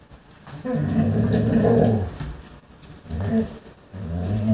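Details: A German Shorthaired Pointer, spotting a chipmunk, gives low, throaty whining grumbles in two drawn-out bursts.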